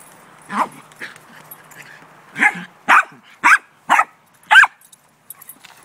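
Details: Pet dog playing ball with its owner, giving a series of sharp barks, five loud ones in about two seconds after a softer start, while a person talks encouragingly nearby.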